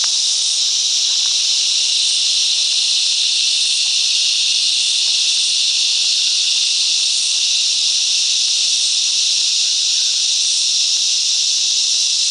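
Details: Cicadas singing in unison in bush mangroves at Coffs Harbour, NSW, Australia; a loud continuous hissing drone with faint rhythmic pulsing, a few faint chirps from other creatures beneath.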